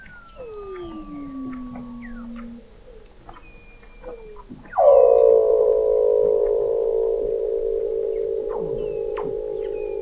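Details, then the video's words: Weddell seal vocalizations beneath Antarctic sea ice, McMurdo Sound, November 2017, from an observatory 21 m below the ice: a falling whistle, then a loud sustained buzzy trill with layered tones holding steady for over five seconds, with other seals chirping. "Song of the Antarctic Weddell Seal"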